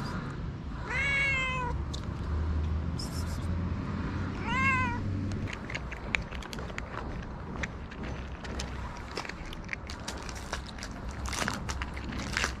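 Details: Hungry stray cats on a street in Morocco: two drawn-out, harmonic meows, each about a second long and sliding slightly downward, roughly three and a half seconds apart, over a low urban hum, then scattered clicking and crunching noises.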